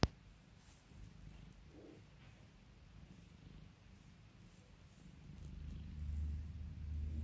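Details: Cat purring under its owner's calming attention, a soft, even low rumble that grows slightly louder toward the end, with a faint humming tone underneath.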